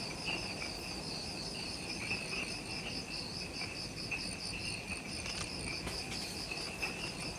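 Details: Twilight insect chorus just after sunset in forest at the Mount Omoto trailhead on Ishigaki Island, Okinawa, Japan. Several high, beaded trills pulse continuously, with brief ticking accents and a faint low hum beneath.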